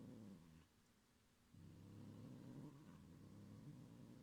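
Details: Young pet cat growling threateningly to protect its string toy from another cat indoors; steady low rumbling growl with a brief pause, then continuing, droning throughout.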